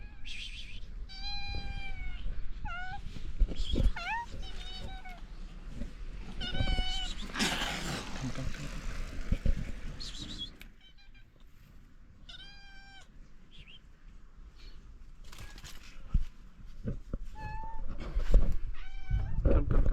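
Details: Several stray cats in Morocco call for food and care at morning feeding time, with bursts of overlapping meows, some long and drawn out, mixed with human speech and rustling.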